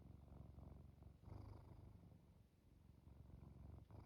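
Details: Sleepy domestic cat purring as it drifts off: dense low vibrating rumble with rapid pulsing, a brief dip near the middle, otherwise unbroken and close to the microphone.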